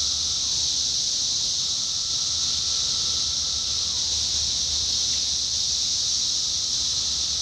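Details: Massed 17-year cicadas calling in Indiana in summer 2021: a steady, piercing high-pitched hiss overlaid by long, fainter whining tones that repeatedly slide downward at their ends.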